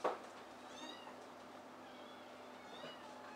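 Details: Rescued adult cats indoors at Tokyo Cat Guardian's shelter cafe in Otsuka, Tokyo: two soft, brief meows with a thin bending tone, spaced about two seconds apart over a quiet room hum.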